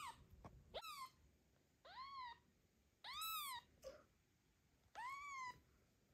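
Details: Domestic cat Zlata protecting her newborn kitten during an afternoon walk; four clear, high, arching meows at roughly one-second intervals, separated by near silence.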